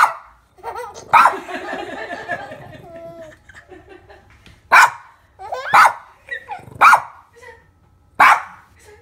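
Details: Pet dog Summer, near a baby, gives short sharp barks roughly once a second in the second half, after adult baby-talk and chatter at the start.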